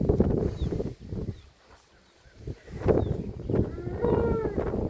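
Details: Milk cows of Holstein Friesian and Jersey breeds, kept for sale on a farm in Udumalpet; a low, drawn-out harmonic moo rises in the final second after rustling and handling noises and a brief quiet spell.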